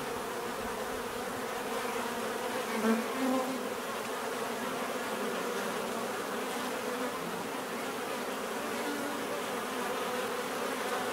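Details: Natural buzzing of many bees, an unbroken humming drone with a brief louder nearby bee around three seconds, otherwise steady and uniform.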